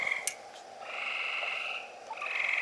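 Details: Frogs on a summer night in Missouri, with the moon rising and low humidity, call in a dense chorus of high, trilled, pulsing notes that run on and overlap.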